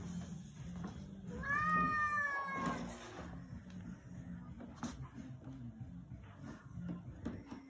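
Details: Zefir, a house cat described as evil and very angry, gives a single drawn-out harmonic meow that slides downward and lasts about a second and a half, followed by a steady low hum and scattered clicks and knocks.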